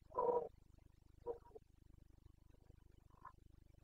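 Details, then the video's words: Carpathian red deer stag in Bucovina during the September 2022 breeding season; one short, strong roaring bellow opens, followed by two fainter grunts over steady low background hum. "Boncănit / Carpathian stag Breeding season"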